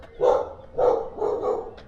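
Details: Many dogs barking around an apartment on a hillside in Funchal, Madeira, Portugal: three muffled mid-pitched barks in quick succession, the last doubled, over faint low background noise.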